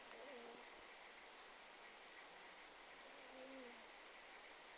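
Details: Sleeping cat snoring: two faint, whistly nasal tones, each wavering then dipping lower, about three seconds apart, under a steady broadband hiss.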